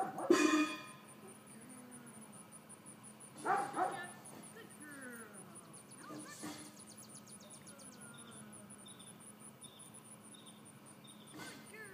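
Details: Georgia, a 4-month-old female miniature dachshund puppy, excitable and in training to walk on a leash and settle on her place; a loud harmonic bark opens, another follows a few seconds later, with faint whines and a steady high ticking throughout.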